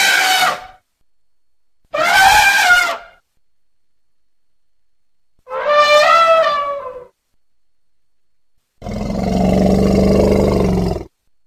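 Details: Elephant. Loud, harsh trumpeting from an elephant comes in four separate bursts, each about a second long with brief quiet gaps between. The final blast is longer and lower, shifting into a rough, rumbling roar.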